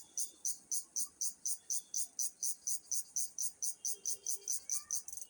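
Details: Cricket giving shrill, evenly spaced chirps, roughly four every second and about twenty in all, high and bright over a quiet background with a faint low murmur.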